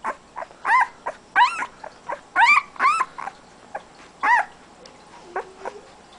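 A Siberian Husky puppy gives a run of high, wavering whines and yelps in short bursts.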